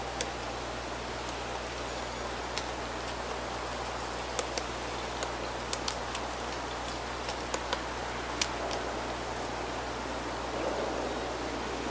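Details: Steady hiss and low hum with scattered sharp ticks and clicks; no animal voice is heard.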